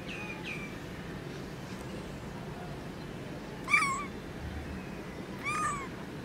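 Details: Newborn kitten calling: two faint early mews, then two sharp, loud meows about two seconds apart, each a quick rising-then-falling cry over a low background hum.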